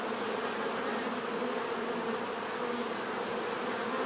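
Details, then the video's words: A bees' buzzing drone, smooth and unchanging, a deep hum with a clearer higher band riding on top, filling the short stretch without a break. "bees therapy relaxing natural buzzing sound"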